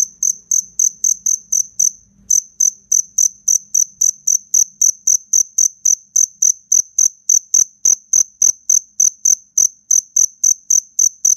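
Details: Fierce chirping from a fighting black cricket: rapid, piercing pulses about four per second. Partway through, each chirp is joined by a sharp broadband click.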